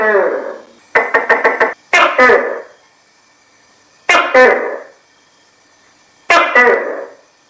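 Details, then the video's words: Tokay gecko opening with a quick rattle of sharp clicks, then loud, hoarse two-syllable calls spaced about two seconds apart against a quiet background. "เสียงตุ๊กแกร้อง|ตุ้กแก|Gecko Sounds|Gecko Sound Effect|tokay gecko kêu"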